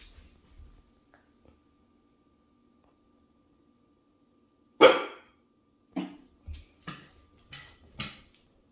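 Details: Female Springer Spaniel and Portuguese Water Dog cross barking indoors because she thinks she hears something: after quiet, one loud sharp bark, then five softer short barks at uneven intervals about half a second apart.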